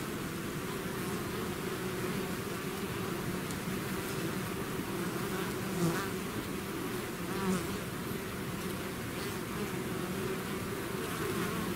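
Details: Bee swarm leaving its hive, a dense steady buzz of many insects with low humming bands and a few louder passes around six and seven and a half seconds, no other sounds.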